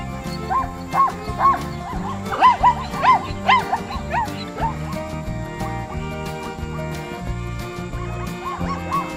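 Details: Zebra voice: quick strings of short, bright barking yelps, each sharply rising then falling, clustered early and then thinning out, heard against continuous background music.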